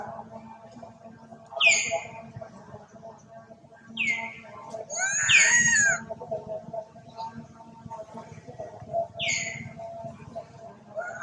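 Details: Duchess, a poorly female monkey, cries loudly while searching for her daughter. Four shrill, high squealing cries arch and drop in pitch, coming at irregular gaps of two to four seconds, over a steady low background hum.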